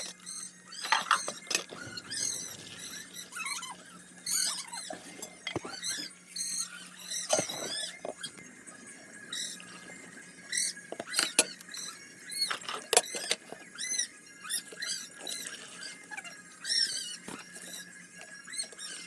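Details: Baby dairy goats (Mini Nubian and Nubian) on an Idaho ranch scream in high, squeaky bursts in the background while milk bottles are filled for them, over clinking bottles and a low steady hum.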